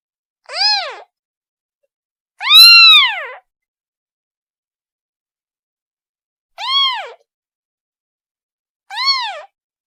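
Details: Kitten calling for its mother: four high, arched meows with rich harmonics, the second longest and loudest, separated by long silent gaps, in an otherwise quiet setting.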